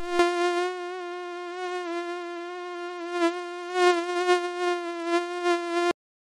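A mosquito's thin, steady whine, held at one nasal pitch for several seconds.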